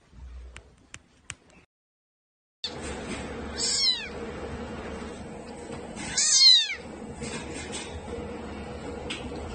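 Kittens give high, thin meows that rise and fall, two clear cries standing out over a steady background hiss.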